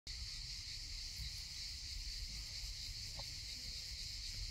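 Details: A cicada in Sukhum, Abkhazia gives a steady, high, hissing buzz that runs unbroken throughout.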